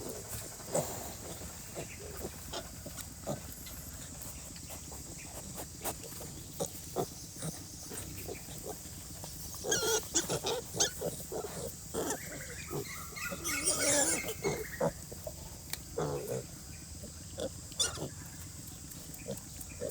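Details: Pig: a mother sow and her piglets sleeping during rain in very cold weather; scattered soft clicks and grunts, then a burst of high, harmonic squealing around the middle, over a constant steady hiss.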